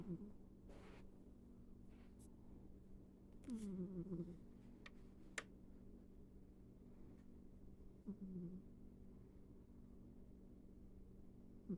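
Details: Ivy, a pet cat, snoring while asleep indoors: soft nasal breaths with a slight downward whine, roughly every four seconds, over a steady low electrical hum.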